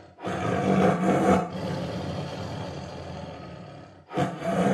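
A tiger roars with a deep, gravelly voice, the first roar long and sustained before tapering off. After a brief pause a second powerful roar begins.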